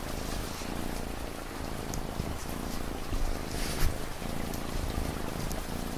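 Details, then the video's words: Low, vibrating cat purr with regular pauses between breaths, heard beneath a steady wash of rain and a few louder drips. "Cat Purring Sound"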